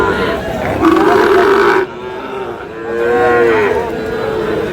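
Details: Sahiwal cattle at a market in Chattogram, Bangladesh, where young bull calves are being bought and sold; two drawn-out harmonic moos rise and level off, the first around one second and a second near three seconds, over crowd chatter and shouting.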